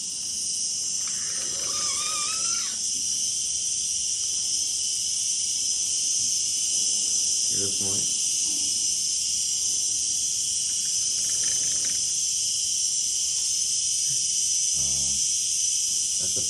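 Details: A male giant cicada drones loudly and steadily, a high hissing buzz like a jet turbine, while a man talks. It stops calling when approached and starts again once he moves away.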